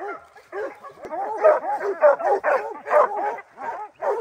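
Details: A puppy named Rocky, three months old, giving tree bark at his first treed black bear: short, arching yelps that rise and fall in pitch, coming in quick succession about every half second.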